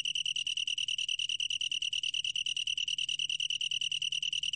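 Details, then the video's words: Long-tailed tree cricket singing, recorded by the National Institute of Biological Resources in 2020; an unbroken, shrill, evenly pulsed trill holding one high pitch throughout, with no other sounds. "긴꼬리, 여러번 듣기, 곤충소리"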